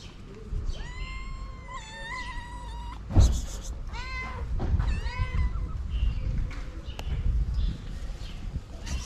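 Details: Stray tortoiseshell cat, a female among many ginger street cats, meowing to ask for food; a long steady meow, a second drawn-out one, then several shorter rising meows, over low rumbling background noise.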